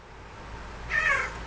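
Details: Domestic pet cat said to 'talk' by saying the Hebrew word for refrigerator gives one brief, clear meow with a slight downward slide, after quiet room noise, and a person then says 'that's fridge' in Hebrew.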